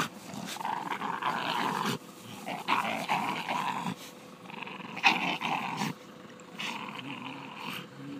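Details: Two Staffordshire Bull Terriers playing together and having fun, giving rough, rumbling growls in irregular bursts with brief pauses, mixed with scuffling and panting sounds; a person laughs afterward.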